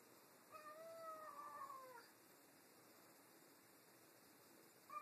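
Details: Pet cats Tammie and Cheddar quarrelling about a new toy; one long, slightly wavering meow lasting about a second and a half, followed by quiet room tone.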